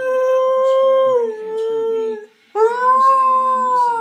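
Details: Domestic dog Shredder howling, prompted by someone howling nearby: a held tone that steps down midway, a short silence, then a brighter howl that swells and eases off, with a faint lower voice beneath.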